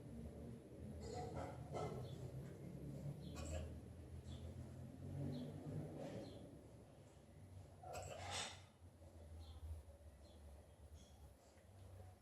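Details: Liza, an Alaskan Malamute, hiccupping: short, soft, breathy bursts at irregular intervals, two close together early on and a stronger double burst near the end, over a steady low rumbling hum.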